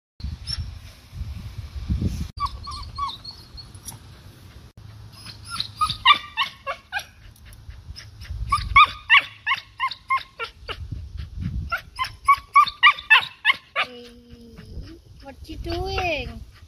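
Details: Cocker Spaniel chasing birds and squirrels out of a backyard, scaring them off; bursts of sharp repeated barks, loudest from six to fourteen seconds, with a few whining yelps near the end and low outdoor rumble underneath.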